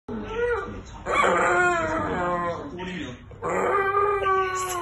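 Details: Lizzie, a female rescue Staffordshire Bull Terrier × Rhodesian Ridgeback cross, howls in long, wavering, tuneful notes to get attention, serenading a friend who used to walk her; she quietens once she gets attention.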